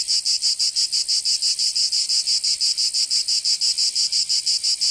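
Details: Summer cicada song recorded in Provence, France: high, sizzling buzz pulsing in regular bursts near three per second, loud and constant, nothing else audible.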